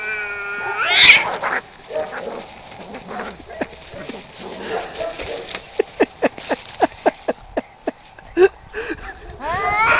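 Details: Two male cats fighting over territory just outside a home: a rising, wavering yowl near the start, a long stretch of sharp, regular clicks and thumps, then another harmonic yowl at the end.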